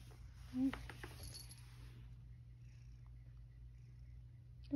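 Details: Satchan, a male rescued cat living at Kazeno Kobo, gives a single short meow after coming back inside from outdoors, then settles to relax; a soft human voice follows, with another brief faint sound at the very end.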